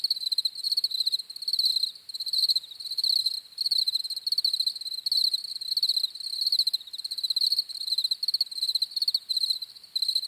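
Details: Continuous high-pitched cricket chirping, rhythmic pulsed bursts repeating about every second, several insects blending into one shrill night-like chorus.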